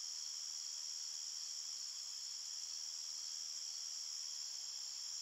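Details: Crickets chirping at night in a forest: a steady, unbroken high-pitched trill with two bright bands, even in loudness throughout, with no other sounds.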